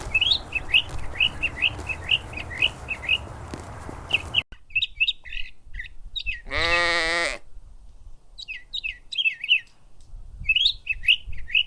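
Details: A lamb grazing in a cool green forest gives one wavering, nasal bleat amid steady chirping from small birds.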